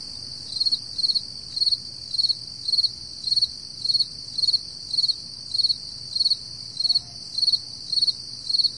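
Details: Crickets at 4 AM on a summer morning in July 2012; one gives high, pulsed chirps, repeating steadily nearly twice a second.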